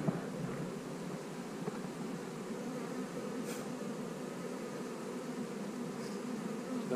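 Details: Honey bees on split day in 2020, while hives are divided and queen cells set in the splits: a dense, steady droning hum fills the whole stretch with no talking, with only faint clicks and a light hiss above.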